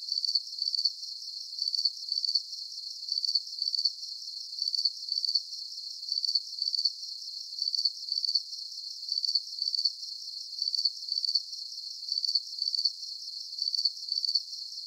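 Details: Steady cricket chirping for relaxation: very regular bursts of high pulsed trills, doubled chirps returning roughly every one and a half seconds throughout, against a soft constant high-pitched background hum.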